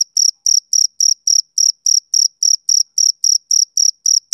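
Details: Male cricket, summer evening: a row of sharp, high, metallic chirps spaced evenly, about fifteen in a few seconds, with clear gaps of silence between them and no background noise.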